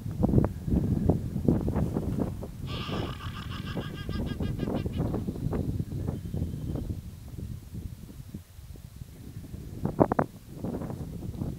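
A guanaco lets out a shrill, quavering cry, somewhere between a bleat and a whinny, lasting about two seconds, then a briefer cry later. Heavy wind rumble and knocking fill the background throughout.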